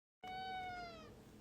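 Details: A domestic cat gives one long, drawn-out meow, steady and then slowly falling in pitch toward its end, with a quiet room behind it.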